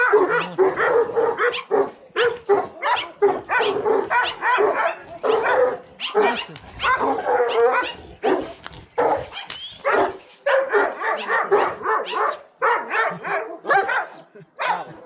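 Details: Bucovina Shepherd Dog at Paltinu giving loud, repeated barks in quick bursts, roughly two or three per second, with brief gaps between series of barks.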